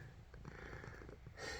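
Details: Male domestic cat hiding in a closet, purring; he purrs whenever the dog plays with him, taken as a sign he loves to play. Soft, low, continuous rumbling purr, faint, with a short burst of hissing noise near the end.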